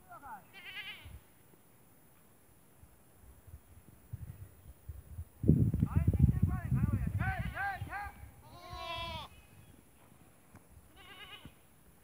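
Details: Goats on a farm in the Thar desert, Tharparkar, Sindh, Pakistan; several short wavering bleats around the sixth to ninth seconds and one near the end, with rumbling low handling or movement noise and human speech.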